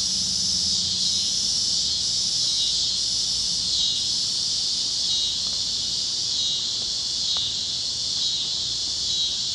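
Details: Sunset over Kansas fields on the great plains, cicadas chirping on a warm evening: a continuous high, hissing drone that pulses in waves roughly every second, with a few faint clicks and little else.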